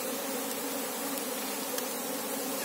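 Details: Asian honey bee (Apis cerana) colony during a search for the queen: a steady, dense hum of many wings, with low tonal bands layered evenly and unbroken across the short stretch.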